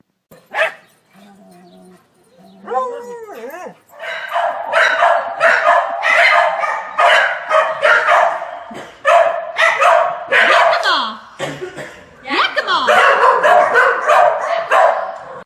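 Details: Corgi dog barking excitedly in quick, irregular bursts of harsh, broadband yaps, about one and a half per second, after a short rising whine near the start; some human voices faintly mixed in.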